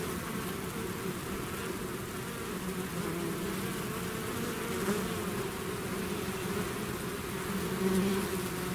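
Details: Steady droning of a bee swarm that has left its hive, low humming bands holding level throughout with a slight swell toward the end.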